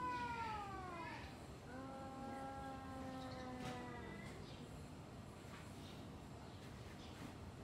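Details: Domestic cats talking before a fight: a falling wail, then a long level, quavering yowl around two seconds, followed by quieter background noise and faint knocks.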